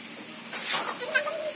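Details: Young goat kids, newly arrived at the owner's home, give a short wavering bleat in the second half, held at a steady pitch. A brief noisy burst comes before it, and human voices are nearby.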